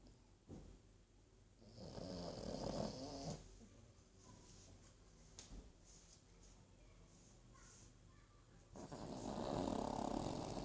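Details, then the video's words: Archie the pug snoring indoors: rough, rasping breaths swelling in two long bursts, around two and at nine to ten seconds, with quieter breathing between. "Мопс Арчи даёт храпака"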